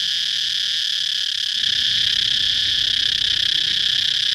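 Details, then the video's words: Continuous piercing cicada drone, high and hissing, with an even steady tone that swells slightly louder partway through; a faint low rumble sits underneath. "cicada chirping sound"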